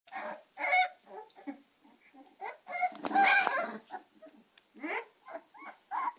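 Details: American Staffordshire terrier puppies, Gina and Zeus, giving a busy run of high, squealing yelps and whimpers, several short cries overlapping, with brief pauses between bursts.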